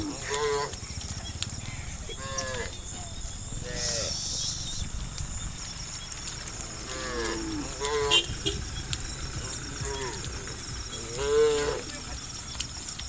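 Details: Dozens of tame cows running nimbly down a green hill valley through the countryside in morning sun: a series of harmonic moos from several animals, some short, some drawn out, with a steady high insect-like hiss behind.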